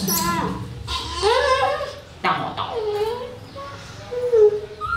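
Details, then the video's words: KOTO, a rescued baby monkey found in a jungle hole and now kept by a family, cries loudly while being bathed in cool water, afraid of it: repeated wavering, whining wails, rising then falling, in quick succession with short breaks between. "Monkey KOTO Crying Loudly Afraid Of Bathing With Cool Water"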